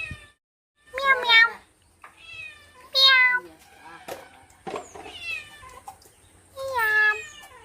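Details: Pet cat, called a kitten, in the evening, with a woman talking to it in Telugu; several short rising-falling meows between her words and coaxing calls.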